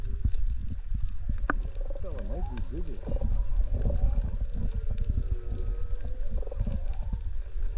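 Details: Wild curious juvenile humpback whale passing close beside a dinghy near Minerva Reef, recorded underwater on a GoPro: wavering, zigzagging tonal moans in a mid-low register over steady low water rumble and splashing.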